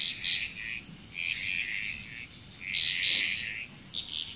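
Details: Short burst of a Bali, Indonesia frog chorus, three or four swelling raspy, high croaking bouts overlapping one another, with a persistent thin insect whine behind.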